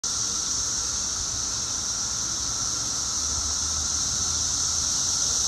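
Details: Seventeen-year periodical cicadas two weeks after emerging, at their loudest, heard even from indoors: a steady, unbroken high hissing drone with a fainter band below, continuous throughout.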